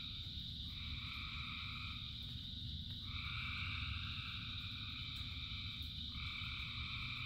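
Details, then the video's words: Frogs in rain form a massed chorus. Overlapping, droning trills come in long waves, a new wave starting roughly every three seconds, while heavy rainfall rumbles steadily underneath. "Frogs in Rain 2 Hours of Frogs, Thousands of Frogs Singing"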